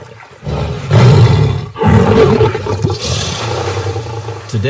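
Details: Male lion protecting his pride by a crocodile-infested river: two heavy low roaring bursts, deep and throaty, each lasting about a second, followed by a noisier hissing stretch.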